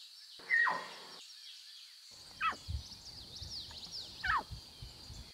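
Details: Lion cubs in their natural surroundings mew three times, each call a quick falling squeal, over a continuous shrill insect hum, light bird chirping and low rustling.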